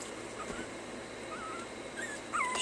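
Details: Puppies told to stay make faint wavering whines that grow into a louder high whimper sliding downward at the end, under steady room noise.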